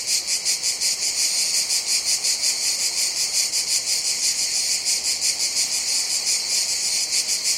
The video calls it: Sounds of Cicadas